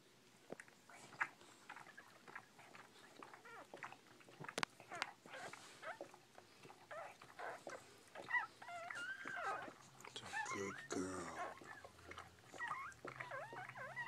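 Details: Newborn Bull Pei puppies indoors: scattered clicks and shuffling at first, then from about eight seconds a run of high, wavering squeaky whimpers that rise and fall, overlapping one another, with soft rustling beneath.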